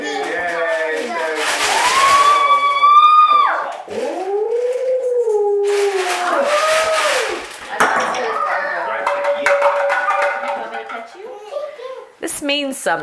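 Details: Alaskan Malamute Sojourner Truth, a female pet, howling along indoors to music children make in a family jam session; long sliding wavering howls rising and falling, mixed with children's voices, speech and instruments.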